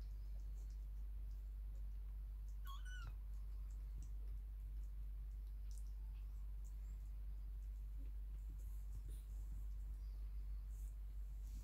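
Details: Awake kittens in their nest while their mother is neither nursing nor cleaning them; a single thin, high mew rises then bends down near the three-second mark, with soft rustling and faint clicks around it.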